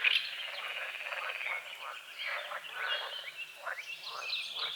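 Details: Morning croaking of frogs on a foggy forest-edge lake at dawn: a steady, grating series of short pulses with rising and falling chirps from birds layered over it.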